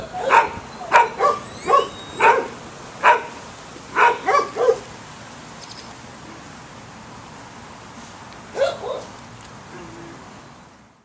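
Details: Dog giving a string of short, evenly spaced barks, about two per second, then a pause of quiet and a final pair of barks, with faint background hiss.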